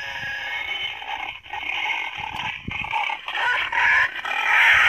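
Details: Wild boar giving harsh, shrill squeals in uneven, overlapping bursts, described as a pig call that draws boars to bait, used by a boar hunter.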